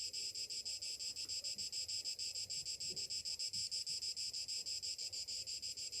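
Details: Morning chorus of cicadas in summer, a harsh high shimmering drone that swells and fades roughly three times a second, without pause. Soft background rumble.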